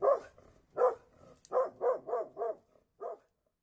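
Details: Mountain Cur dog giving a rapid run of about eight mid-pitched barks, several back to back near the end, then a single final bark.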